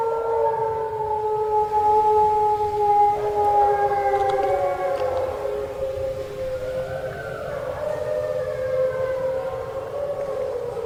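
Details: Mexican wolves and American red wolves at the Endangered Wolf Center in Eureka, Missouri, howl at the full moon in answer to a guide's human howls. Their chorus is layered, with long, sliding tones that overlap and waver.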